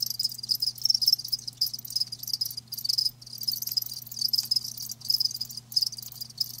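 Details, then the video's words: Crickets recorded live for natural-sound ASMR, producing a thick, high, ringing chorus of chirps with a few brief dips in loudness, while a constant low hum drones beneath. "Live Crickets 60min "Natural Sound" ASMR"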